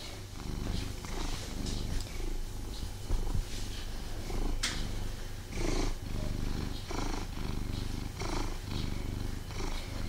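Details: Domestic cat purring while snuggling with its owner, somewhat restless and unable to fully relax; steady low rumbling purr throughout with soft rustling and brief handling noises on top.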